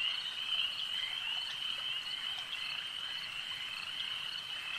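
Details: A loud, close frog chorus at a lake, a steady shrill trilling hum with faint croaks pulsing within it, nearly two per second.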